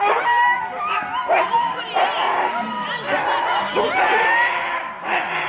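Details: Husky sled teams at the start line at Rendlesham, January 2016. Many dogs yelp and bark together, and high drawn-out whines rise above the din. Human voices are heard among the constant excited chorus.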